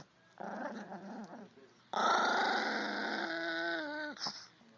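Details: A Chihuahua dog grumbles softly at first, then bursts into a louder, sustained growl. The growl slides into a descending whine and ends with a brief sharp click.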